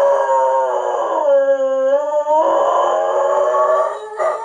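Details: Dog howling at sirens and at a person's howling: drawn-out tonal howls with a rich harmonic stack, one rising then falling phrase in the middle, continuous overlapping voices.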